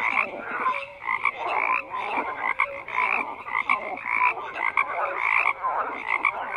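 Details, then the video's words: A dense chorus of many frogs croaking together, overlapping pulsed croaks in mid and upper bands swelling and fading every second or so, with brief clear tonal notes mixed in and no other sounds. "FROGS CROAKING"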